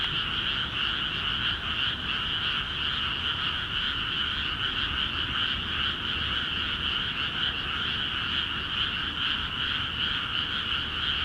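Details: Frogs in flooded rice fields of Akiha Ward in full voice; a steady, dense din of overlapping rattling croaks at a high and a middle pitch, unbroken throughout, over faint low rumble.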